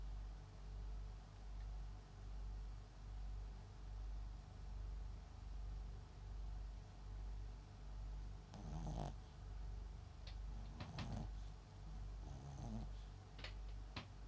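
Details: MAX, a sleeping Papillon and Japanese Chin cross, snores in low, even pulses just under a second apart; near the end brief snuffly, crackling snorts and small clicks break through the rumble.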